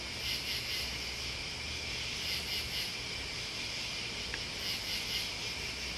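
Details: A steady wall of shrill insect trilling from crickets and bugs, punctuated by rapid high-pitched pulse trains near the start and end, with one short click midway.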